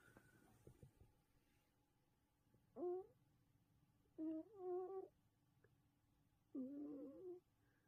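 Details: A domestic cat snoring indoors: three wavering, squeaky, tonal snores with harmonics, each lasting under a second, arrive about every one and a half to two seconds in a quiet room.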